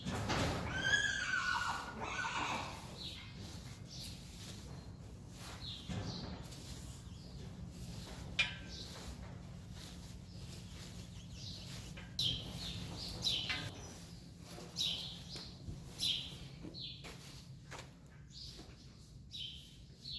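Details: Friesian mare Saly whinnies while being groomed and having her long mane brushed. One quavering, high whinny opens the recording, followed by a steady run of brushing strokes and rustling.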